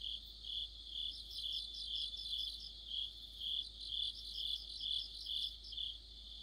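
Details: Crickets and other insects chorusing in deep autumn. High, bright chirping trills pulse about twice a second in a steady rhythm. A second layer of shriller chirps sits above them, with no other clear sounds.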